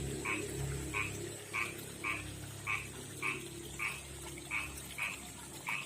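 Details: Calling male frog, a rough-skinned kind living in a backyard pond and river, summoning a female with short, bright croaks spaced about half a second apart, ten in a row over a steady background hum.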